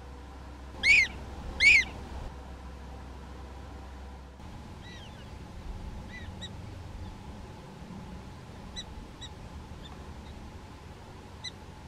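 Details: Prairie dog in a small prairie dog town in North Dakota, filmed with a Canon SX70HS: two loud, sharp, harmonic-rich chirping barks in quick succession near the start, followed by fainter, scattered chirps from more distant animals over a low steady hum.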